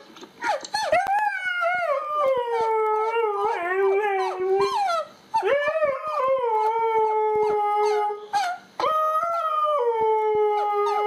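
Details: Domestic dog howling at an irritating sound: three long howls, each starting with a sharp rising yelp and then sliding down into a sustained mournful tone, separated by brief silences.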